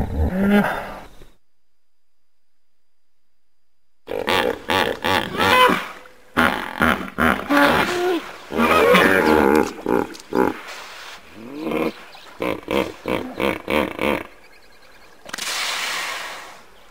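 A common hippopotamus gives a rapid series of deep, throaty grunting honks in rhythmic bursts.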